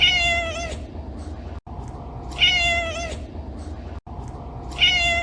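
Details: A cat meows repeatedly. The end of one cry is followed by two more complete ones about two and a half seconds apart. Each is loud, harmonic and falling, with a short silent gap before it and a constant low hum underneath.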